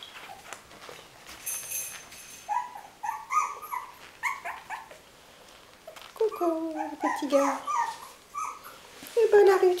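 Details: Puppies from Winny's litter whimpering and squealing in a small room: rapid, tonal, wavering cries in quick overlapping runs, rising and falling, with a burst of higher squeals at the end; quiet human speech in the background.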